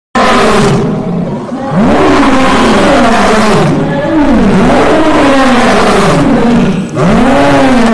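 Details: Lion. Deep, gravelly roars from a lion rise and sag in repeated arching groans about every second or two. The heavy voice runs almost without pause, thick with rasping texture.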